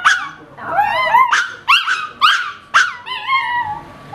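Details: Howling Miniature Pinscher, a male on its owner's bed answering a car alarm, gives about five bent, yodelling howl-yips, each starting sharply and sliding downward.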